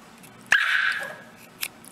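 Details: Dog giving a single high, tonal whine that starts sharply and then slowly fades over about half a second, followed by quiet room noise.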